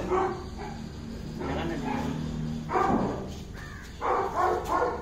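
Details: A Saint Bernard guarding the family's house and property in Kerala, India. It gives deep, hoarse barks: one at the start, another near the three-second mark, and a close cluster of three at the end, over a steady low hum.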